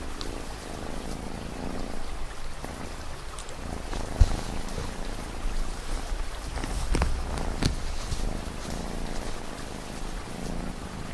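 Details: Continuous low, throbbing purr of a cat in the foreground, with light rain patter and a few sharper drip clicks over the gentle rumble.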